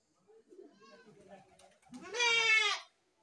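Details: Faint, soft bleating and background sounds lead into one louder, drawn-out nasal goat bleat near the end.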